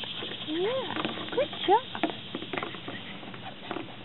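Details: Male Labrador and Springer Spaniel mixed puppy, ready for his new home, gives a few rising, sliding whines in the first two seconds, over Spanish speech and light patter.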